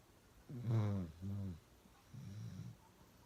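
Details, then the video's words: Loud snoring from Uno, a pet dog: three low, throaty rasps, the first strongest, the next two progressively softer, each about half a second, in a quiet room. "Uno Drinking Water and Snoring really loud"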